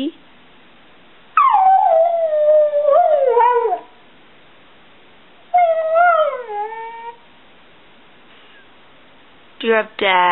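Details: Bubba, a 7-year-old Border Collie mix, 'talks' to his family: two drawn-out, sliding howls of a few seconds each, wavering in pitch. A brief spoken word closes the passage.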